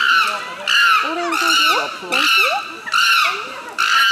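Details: Excited chimpanzee screaming: loud, harsh, high-pitched shrieks in bursts roughly every second, with rising and falling pitch sweeps between them; people talking in Korean are heard alongside.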